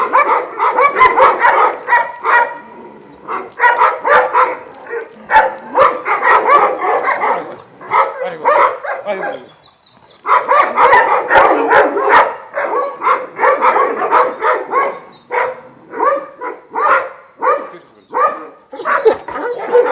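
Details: Twelve Šarplaninac dogs of Vujanski origin kept at a Jasika kennel near Kruševac; long stretches of dense, overlapping barking and yelping from many dogs, a brief lull near the middle, then the noisy chorus resumes with metallic clatters.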